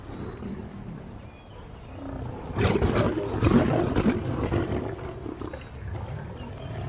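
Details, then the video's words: Serengeti lions fighting, a lioness taking on a larger male: snarling and roaring in a rough, deep burst of growls that swells in the middle and then subsides into lower rumbling. "In spite of their smaller size, lionesses not only retaliate, they may even pick fights with the males."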